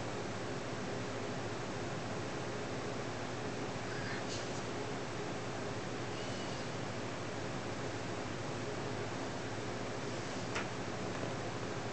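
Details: Steady broadband hiss fills the room, with only a few faint rustles and soft clicks and no animal voice.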